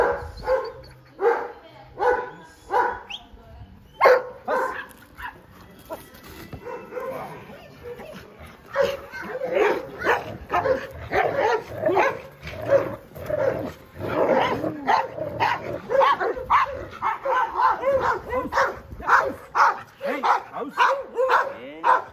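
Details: Nine-month-old Belgian Malinois in protection training bite work, first time facing the bite suit; a long run of rapid, harsh barks, bursts early then a dense, excited barrage with some whining tones mixed in.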